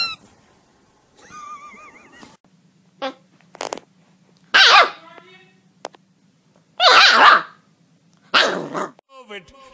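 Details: Dog in a funny pet compilation: separate harsh bark bursts and growly yaps spaced a second or two apart, with whiny tonal whimpers early and human speech between the calls.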